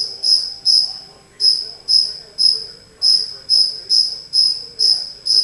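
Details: Indoors in a house, a lone cricket gives bright, high-pitched chirps at a steady pace of roughly two per second, with one short gap early on; otherwise quiet.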